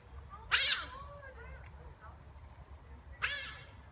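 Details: Playing giant otters that greeted visitors: two loud, shrill, harmonic squeals about two and a half seconds apart, with softer wavering calls and murmured human talk in between.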